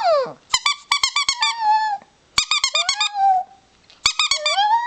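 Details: Pet chihuahua, four years old, howling indoors; each burst opens with rapid high yips that flow into a drawn-out, slightly falling whine, repeated three times with short silences between.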